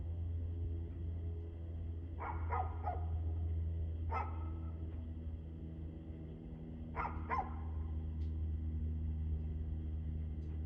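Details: Barking dog on 2/6/2024, 6:02 pm, giving a few scattered barks in short bursts of two or three, separated by quiet gaps, against a loud constant low-pitched hum.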